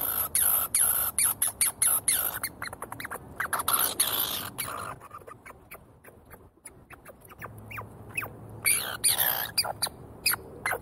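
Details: Squirrels squabbling over seeds: rapid, irregular bursts of sharp, high-pitched squeaks and clicks that thin out midway, go almost quiet around six seconds, then pick up again with brief rising chirps.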